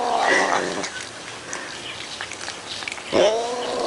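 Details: A cat making weird noises: a drawn-out, wavering, nasal yowl opens, followed by scattered clicks and rustling, then a second short, rising-and-falling cry near the end.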